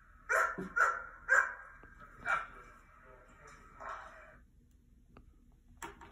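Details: Dog barks played on a laptop for an attentive mini goldendoodle; four loud barks in quick succession, then a softer drawn-out bark and a last faint one near the end, with quiet room tone between.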